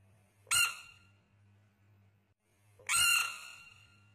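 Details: Baby rain frog giving two sharp, bright squeaks about two and a half seconds apart, each a brief harsh burst with ringing high overtones, over a faint low electrical hum.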